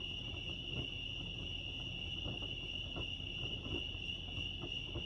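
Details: Crickets chirping at Lake Arrowhead, California: a steady, high, shimmering trill that holds one pitch without a break, over a soft low rumble and scattered faint ticks.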